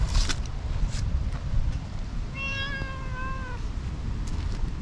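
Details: Tortoiseshell cat, just woken from a nap up in a tree, rubbing hard and affectionately, gives a single clear, drawn-out meow lasting about a second and a half, slightly falling at the end, over steady low rumbling background noise and a few clicks.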